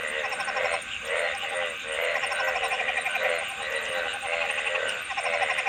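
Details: Frogs calling together, a dense chorus of rapid pulsed croaks with harmonic bands, overlapping voices swelling and fading in waves roughly every second, with a steady high hiss above.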